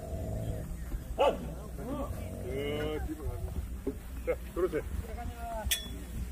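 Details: Jindo barking at the 66th Korean Best Jindo Dog Selection Contest, a dog show of the Korea Jindo Dog Association; a handful of sharp, arching barks break out in short bursts over steady crowd chatter and nearby talking.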